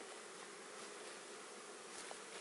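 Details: Honey bees being added to a Warre hive, together with a feeder, on the first day after their delayed arrival; a dense, steady, loud buzzing fills the whole clip, broad and unbroken, with no other sounds standing out.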